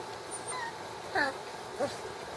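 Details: Puppies six weeks old, inside: two short, high yelping whines about half a second apart, the second lower and softer, over steady low indoor background hum.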